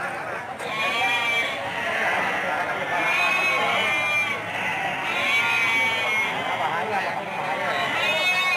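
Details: Sheep at the Andir livestock market in Bayongbong, Garut, with buyers and sellers busy around them; many wavering bleats overlap continuously under a constant murmur of voices.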